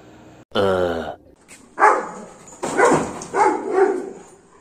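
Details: A Golden Retriever barks aggressively at monkeys to chase them away, a run of deep, harsh barks about one per second, emboldened by a family member standing nearby.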